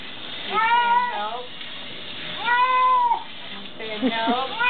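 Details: Bathtime protest from Lou the cat: two long, wavering, rising-then-falling meows, then a shorter broken cry, the repeated wails seeming to say "help" while a worried little poodle looks on.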